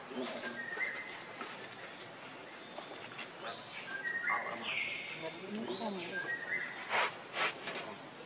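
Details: Hungry baby monkey Leo begging its mother for milk with high, thin squealing wails, some rising then falling, mixed with a few sharp clicks and short bursts of noise.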